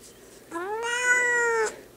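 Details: Big pet cat, angry and refusing to be held indoors, letting out one long, rich meow over about a second, rising slightly then holding steady before cutting off, with a person talking just before and after.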